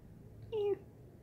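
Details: Domestic cat at home, one short meow of about a quarter second, steady and slightly falling, in a quiet indoor room with low background hum.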